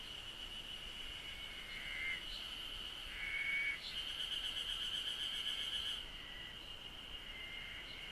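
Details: Cicadas in Japan drone in a steady, high, shimmering buzz, with a few short whistled notes over it.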